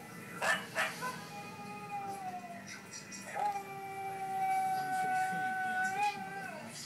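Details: Husky answering a fellow husky's howl with sustained, steady howls that dip, then rise and hold for several seconds, several tones overlapping, with brief noises and faint voices in the background.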